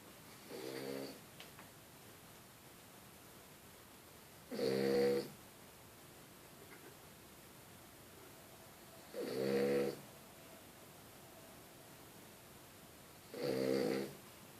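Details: Sleeping French Bulldog snoring: three loud harmonic snores at about 4.5-second intervals, each lasting roughly half a second to a second, with a fainter one at the start, in a quiet indoor room.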